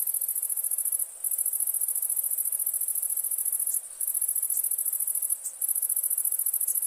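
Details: Cricket chorus at night in India, a loud, dense, very high continuous trill broken by a few brief pauses.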